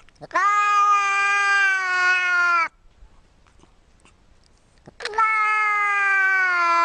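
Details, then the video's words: Cat giving two long, drawn-out meows at a steady pitch, each lasting about two seconds, separated by a quiet pause. "very funny cat meows"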